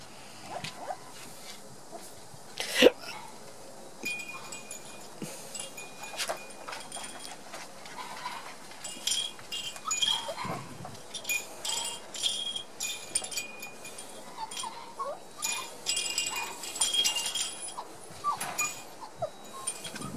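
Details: One-month-old Border Collie puppies at play, discovering new sounds, recorded 4 October 2016: scattered high thin whimpers and short yelps come in bursts, mixed with tinkling chime-like tones and light clattering throughout.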